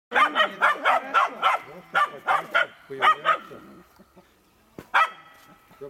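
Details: Finnish Spitz; hunting bark; baying at a raccoon to hold it during a hunt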